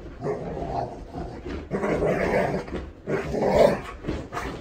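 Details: A female Golden Retriever named Hatch, aged seven, voices her feelings during a bath with dog soap. Throaty, groaning growls come in three swelling bouts, each a few tenths of a second to a second long, separated by brief pauses.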